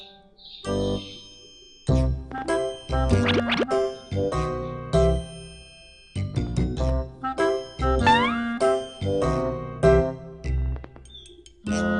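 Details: Playful children's-style music with dings, jingles and boing-like sliding effects, broken by short pauses, and no animal calls.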